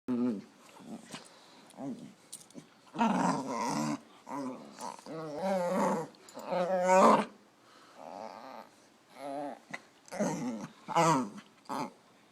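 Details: Dog making weird noises indoors: a run of wavering, moaning and grumbling harmonic vocalizations, some long and bending in pitch, others short growly bursts, separated by brief pauses over about twelve seconds.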